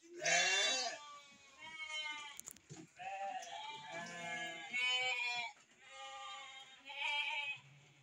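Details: A flock of breeding sheep with lambs calling almost without a break: overlapping, wavering bleats of varied pitch, some higher and thinner, some lower and coarser, from several animals at once.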